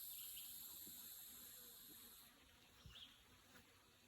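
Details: Insects along a wooded country road: dense, high, unbroken buzzing hum fading slightly partway through, with a few soft thumps and rustles from walking.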